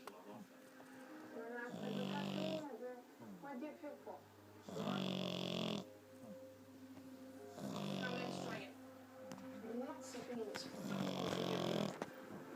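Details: An 11-week-old French Bulldog puppy snores while asleep. Five rasping, buzzy snores with a low hum come at intervals of roughly three seconds, with quieter breathing between them.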